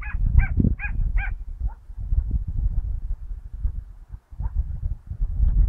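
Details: Dachshund hunting rabbits on 22 August 2012: a quick run of four high, ringing yelps in the first second, then a few scattered barks over heavy low wind-like rumble and rustling.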